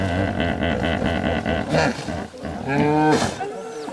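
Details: Several hippopotamuses calling back and forth in a large hippo pool in the Serengeti, a long exchange of deep, harmonic, wheezing grunts and honks that overlap and answer one another, with a few higher squealing notes.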